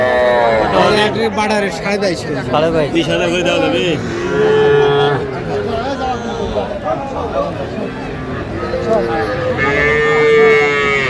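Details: Young cattle calves on sale at the Aftabganj livestock market, Dinajpur, Bangladesh, on a Saturday in March 2025. Moos sound at the start and again near the end, mixed with steady bargaining voices and crowd chatter.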